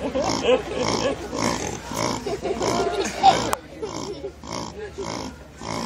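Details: Pig at the petting zoo in Disney World's Animal Kingdom, roused from sleep and grunting in a 'laughing' way while its belly is rubbed. Rhythmic, rapid grunts come in bursts, pause briefly, then resume softer, with human voices nearby.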